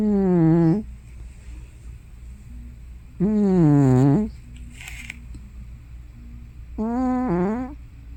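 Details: Hana, a domestic cat probably over 15 years old, asleep at home and snoring or sleep-talking: three loud, low, droning voiced snores, each under a second and falling then rising, about every three and a half seconds, with a breathy hiss between.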